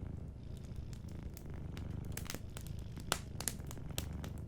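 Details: A sleeping cat's gentle purr forms a dense low rumble, steady and rhythmic, while a crackling fire adds scattered clicks and a few louder pops.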